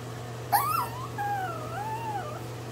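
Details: Pomeranian puppy crying after being scolded for biting, indoors: a soft, thin whine that rises sharply, then wavers and drifts down in a long quavering line, over a steady low hum.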